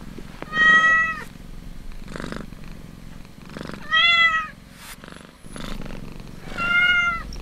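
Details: Kitten feeding from its mother, purring in soft rhythmic pulses between three strong, ringing mews, the middle one slightly rising and fuller.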